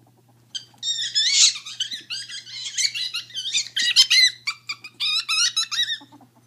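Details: Two female pet ferrets at play, sorting out dominance; the deaf one screeches while the hearing one dooks when happy or excited. Shrill squeaky screeches run in overlapping bursts from about half a second onward, over a steady low hum.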